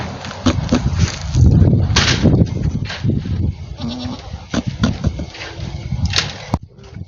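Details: A domestic goat giving unusual noises: rough, low grunts and short raspy bleats in quick irregular bursts, one brief tonal note midway, and a few sharp clicks.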